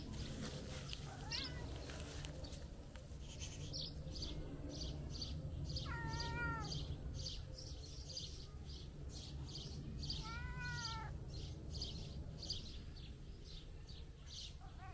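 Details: A talkative tabby cat, waking up for breakfast, gives two drawn-out meows that rise and then fall, over a steady rhythmic ticking and a low hum; cat meow.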